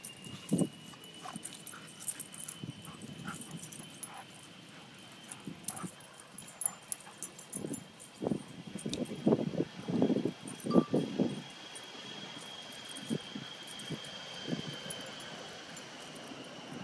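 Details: Two dogs, Glady an Airedale and Dixie a seven-month-old Rottweiler mix, giving short scattered whimpering yips and soft barks, busiest in the middle, over a steady high engine-like hum.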